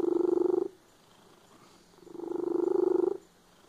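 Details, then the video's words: A domestic cat purring loudly: two rumbling bursts of rapid, buzzy pulsing, each lasting under a second, separated by a quiet breath-like pause; steady low throbbing texture with no other sounds. "The cat with a loud purr."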